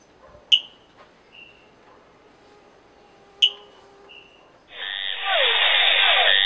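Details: High, clicky chirps from a Brazilian frog, each followed by a softer short note, then a loud, harsh, buzzy rasping call that fills the last two seconds.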